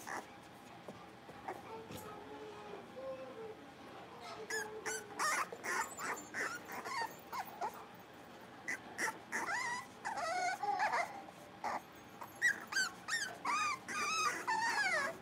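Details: Five young blenheim Cavalier King Charles Spaniel puppies playing together in a pen. A quiet start gives way to bursts of sharp yips and wavering, whistly whines that grow louder and denser toward the end.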